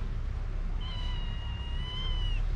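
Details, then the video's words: Mother cat with her kitten, both hungry and calling loudly for food: one long, sustained meow of about one and a half seconds, steady then rising slightly at the end, over low rumbling noise. "Mother cat and kitten meowing loudly for food"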